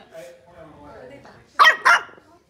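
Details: A miniature Boston Terrier puppy, about the size of a couple of fingers, gives two quick, high, yappy barks after a person softly tells it no barking.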